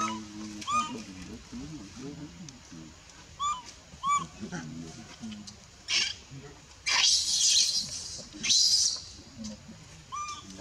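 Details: Baby monkey (female) pushed off the breast by her mother at Bayon whimpers in brief, rising-falling cries, interrupted by loud harsh screechy bursts, with low murmuring sounds underneath.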